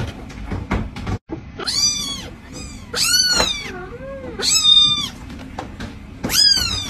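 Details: Cat meowing repeatedly and loudly, five or six high, arching meows about a second apart, some rising then falling, one lower drawn-out mew, with clicks and thumps of handling between calls.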